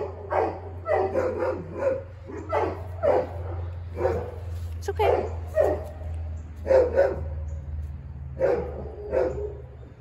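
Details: A large black Great Dane, filmed on 10/08/2022, barks repeatedly in a steady series, roughly one woof every half second to second, each bark broad and resonant; people speak in the background over a constant low droning hum.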